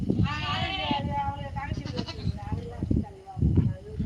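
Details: Native country goat, the nattu vellaadu of Tamil Nadu, opening with a loud, quavering bleat lasting nearly a second, then softer trailing cries while people chat and thump about nearby.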